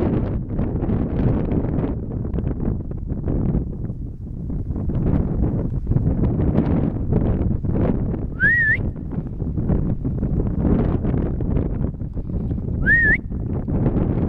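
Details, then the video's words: Vanoise marmot near Pralognan, on the Félix Faure refuge trail, gives two brief shrill whistles about four seconds apart, each climbing steeply upward, while gusty wind roars low throughout. "Marmotte Vanoise"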